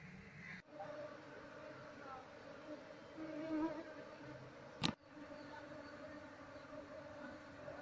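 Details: Asian honey bees (Apis cerana), a wild colony being moved into a hive box after its queen was caged, bees crowding over the comb; a steady low droning hum with layered overtones, a brief sharp click near five seconds.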